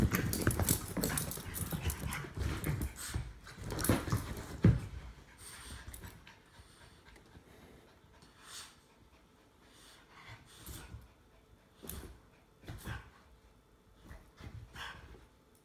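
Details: Jack Russell Terrier mutt and English Bulldog play-fighting indoors; low rumbling growls and panting, dense and loud for the first five seconds, then fading into sparse scuffles, snorts and thumps.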